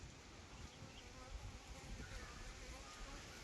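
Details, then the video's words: Honey bees buzzing at a beekeeping hive in Nellore, kept for pure honey: a dense, steady low hum fills the whole stretch, with a soft rustling background and the murmur of people nearby. "honey bee faming"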